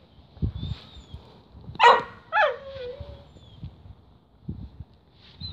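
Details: Whippet with a tripe stick during its funny pre-eating ritual: one sharp bark, followed by a whine that slides downward and trails off, then quieter shuffling.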